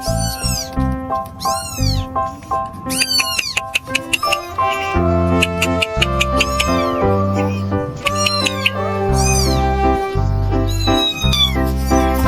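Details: Three newborn kittens abandoned in a dumpster meow constantly: high, arching cries rise and fall in quick repeated bursts, some overlapping, over steady background music.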